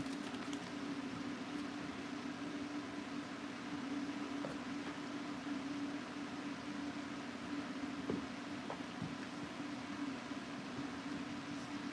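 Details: Steady, quiet indoor hum like a fan or appliance continues throughout, with a few faint clicks. No animal sounds are heard.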